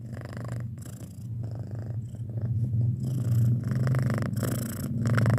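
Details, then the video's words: Six-month-old pet domestic cat purring indoors, a deep, steady rumbling drone with a rapid, even pulse that swells louder toward the end, broken by brief bursts of soft breathy rustling. "Suara Kucing Mendengkur"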